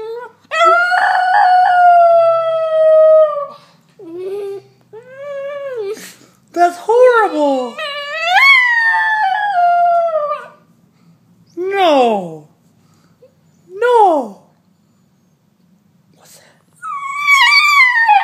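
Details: Male Italian Greyhound left at home, howling and crying in distress while his big sister goes out for a quick walk; long wavering harmonic howls with rising and falling whines, in several bursts separated by short silences, indoors.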